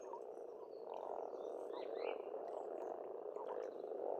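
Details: Dense spring croaking of frogs at a pond in Estonia, a thick rolling chorus with brief bird whistles and chirps above it.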